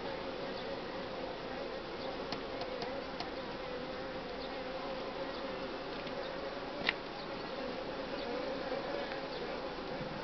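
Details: A Western honey bee colony in spring, during colony build-up and brood-nest expansion, hums with a steady, dense drone of many wingbeats and a few faint clicks.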